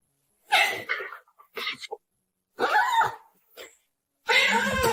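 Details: Domestic cat from a funny cat compilation, giving several short, harsh, raspy bursts of sound separated by silent gaps over five seconds.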